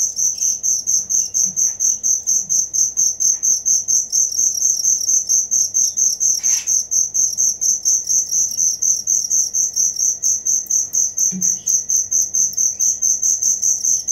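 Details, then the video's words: Cricket chirping steadily, a bright high-pitched pulsing trill with pulses about twice a second, held at an even pitch throughout; a brief faint click partway through. "Suara Jangkrik asli"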